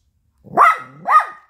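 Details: Offended baby poodle, refusing food set on paper, utters two drawn-out, whiny, complaining barks in quick succession, each with a steady nasal tone.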